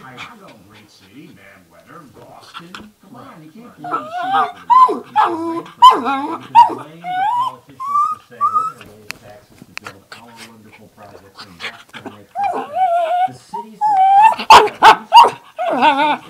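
A dog makes wavering, whiny yowls and rising moans that sound almost like talking, with a person speaking.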